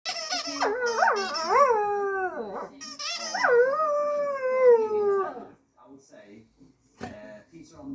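A dog howls in long, wavering, rising-and-falling tones.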